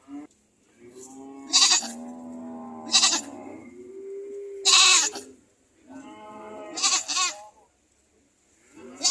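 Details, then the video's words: Goats screaming and bleating: harsh, broadband screams break in about every one and a half to two seconds over lower, wavering bleats from several animals, with a steady high hiss underneath. "Goat sound effect funny"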